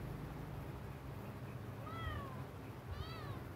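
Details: Sick kitten meowing twice, each a thin arched cry that rises then falls, the second slightly higher and shorter, against a constant low background hum.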